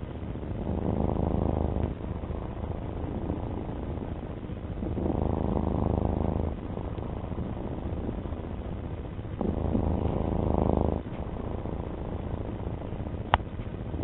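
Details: Pet domestic cat purring: a low, rough rumble that swells louder in regular waves, about every four to five seconds, and softens between swells, with a faint click near the end.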